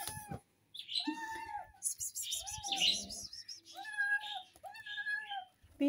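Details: Playful kittens giving drawn-out, level meows, each about half a second long, in a steady sequence, while a person talks over and between the calls.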